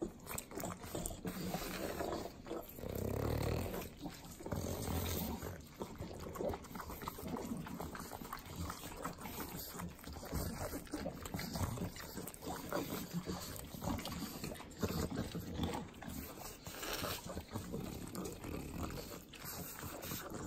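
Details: Three pug dogs eating butter in Southern California's Inland Empire: continuous wet sloppy licking and smacking with clicky bursts, low snuffling snorts throughout, and a louder snort surge around three seconds in.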